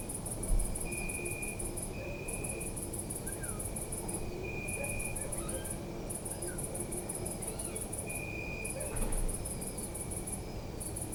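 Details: Night chorus of crickets in a city park, Zoom F3 recording: rapid high pulsed chirps in repeated bursts about two seconds long, a softer lower trill in stretches, distant urban hum and faint scattered noises.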